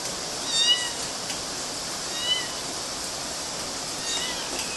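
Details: Kittens climbing on mosquito nets in Galati, Romania, June 2012; a few short, faint high meows, around three over five seconds, against a steady hiss.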